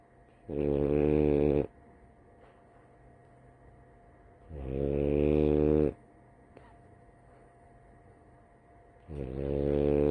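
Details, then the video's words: A female French Bulldog napping snores in loud, rattling, buzzy breaths, each about a second long. "Snoring French Bulldog"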